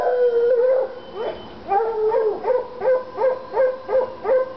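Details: Treeing Walker Coonhounds Lady and Cooper in North Carolina, fired up on a coon skin: one long wavering howl, then a run of short rhythmic bawling barks, roughly three per second, each with a falling tail.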